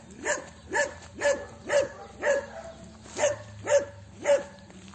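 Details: Celeste the dog barking steadily, eight short sharp barks spaced about half a second apart, evenly paced and of similar loudness, over a faint low hum.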